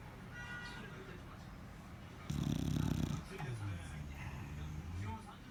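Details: Bulldog asleep and snoring, one loud rasping snore followed by lower, droning grunting breaths that fade in and out, with a faint murmur in the background.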